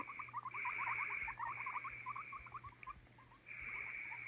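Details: Quick runs of small rising squeaks from a guinea pig, densely packed in the first three seconds, set against a steady hiss that returns louder at the end.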